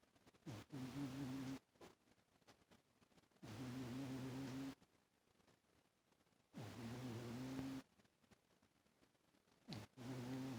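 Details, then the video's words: Toaster the cat snores pretty loud, sleeping on a lap and rolling over. Low, buzzing snores of about a second each repeat at steady intervals, separated by quiet breathing gaps. "Toaster snores pretty loud in his sleep haha... who would have thought a cat actually snores haha..."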